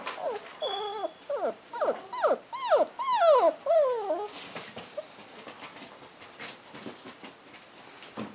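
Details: Male cream and white Toy Poodle puppy whimpering indoors: a run of short, high, whiny yelps that rise and fall, about two per second, fading into quiet rustling after five seconds.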